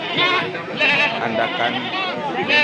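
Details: Goats or sheep at the Singaparna livestock market in Tasikmalaya, Indonesia, bleating in wavering, quavering calls that overlap and repeat through the clip, set against market crowd noise and background music.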